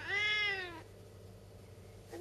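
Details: Saskia, a stubborn talking Siamese cat keeping her hat, gives one loud drawn-out meow lasting under a second that starts high and slides gently downward, with rich harmonics, then quiet room hum and a short squeak at the end.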